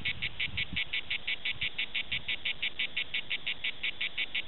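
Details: At Prades, a Cicada orni gives its pulsed song: crisp, buzzy chirps repeated steadily about three times a second, with some soft low rumbling early on.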